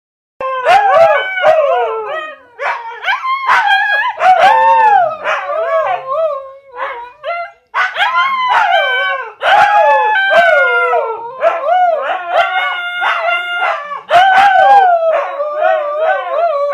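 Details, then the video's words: Two Siberian Huskies, Jiffy and Penny, howl at each other in overlapping wavering tones that rise and fall, with sharp yips breaking in between the drawn-out howls. "Howling Huskies."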